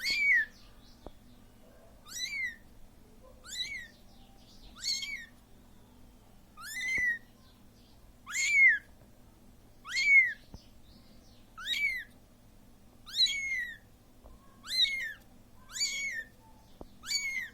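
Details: Abandoned Siamese kitten repeatedly calling its absent mother: a steady series of about twelve short, high, arched meows, one every second and a half, some louder than others, over near silence.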